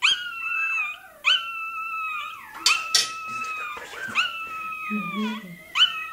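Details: Toy terrier puppy wailing through its tail docking: sustained high, quavering cries with sharp restarts, while a human voice and short clattering noises break in midway.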